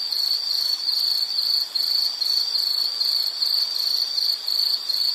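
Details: Insect chorus, likely cricket, from a relaxation nature recording: a piercing high trill in pulsed bursts about 140 per minute, with short gaps near two and four and a half seconds.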